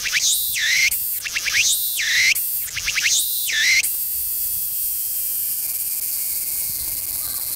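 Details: A Tsukutsukuboshi cicada sings from a tree on the coast during cool autumn weather, at a slowed pace. It gives three quick pulsed phrases, each ending in a rising whine and a shrill buzz, then the song stops and steady hiss remains.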